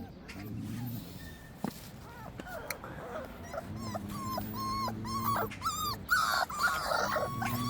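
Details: Black-and-tan female Korean Jindo puppy raised under a surrogate mother, giving thin, high whimpering whines that bend up and down, clustered mid-clip and near the end, over a person talking in Korean.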